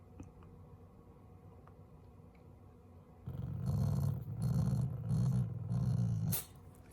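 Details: Pet Shiba Inu growling affectionately toward its owners while its face is squished upward; after a few quiet seconds, a low growl comes in four pulsing rumbles over three seconds, ending with a brief rustle.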